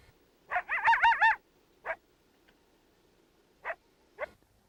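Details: Coyote fluctuating howl: a wavering, quickly undulating howl lasting under a second, then three short, sharp yips spaced irregularly over the next few seconds against a quiet background.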